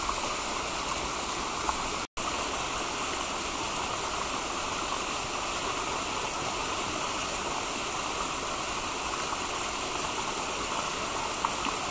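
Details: Steady rushing stream water fills the whole recording, broken only by a brief silent dropout near two seconds.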